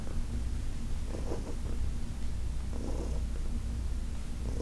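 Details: Steady, deep purring from Heidi, an elderly female cat from the Humane Society of New York City, as she is massaged; the low drone pulses with gentle breathy surges about every one and a half seconds.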